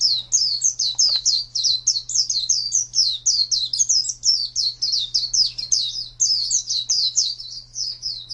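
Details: Pet white-eye, a champion contest singer, pouring out a continuous stream of high, twisting chirps in quick succession with hardly a break, against a constant low hum.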